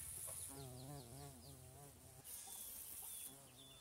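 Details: A bumblebee in Thailand buzzes as it drills down into flowers, a low, droning buzz that wavers up and down in pitch as it comes and goes.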